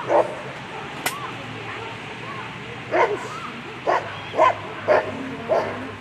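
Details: German Shepherd at a world championship agility event; a handful of single sharp barks about every half second to second, with a clap near the start and steady crowd hubbub beneath.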